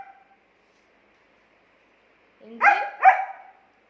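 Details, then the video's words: A German Shepherd dog, Angel, argues back at its owner. After near silence, a low rising whine leads into two loud, high, clear barks close together. "Dog Arguing With Owner"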